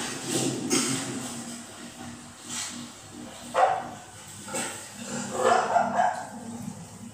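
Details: Cocker spaniel puppy, female, reacting to TV with a few abrupt barks spaced several seconds apart, with the television's continuous background sound playing throughout.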